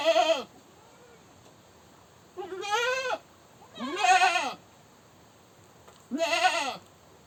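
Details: Goat screaming: four loud, wavering bleats of about half a second each, rising then falling, spaced a couple of seconds apart over a quiet background.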